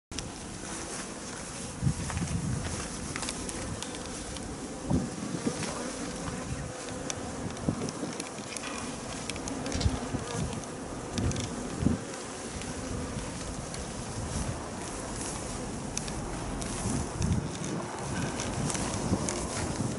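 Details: Swarm of Japanese honeybees, perhaps several thousand, being captured during swarming; a dense, steady humming buzz with scattered clicks and knocks throughout.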